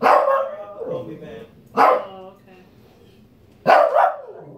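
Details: Shih Tzu dog barking angrily to demand fruit, three sharp bright barks spaced about two seconds apart, the last a doubled yap, with faint whining between.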